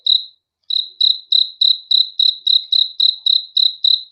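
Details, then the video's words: Cricket chirping at night: a short gap, then clean, high-pitched pulsed chirps repeated steadily about three times a second, each chirp a brief trill with faint overtones above; no other sounds. "THE SOUND OF CRICKETS FOR RELAXATION TO SLEEP AT NIGHT"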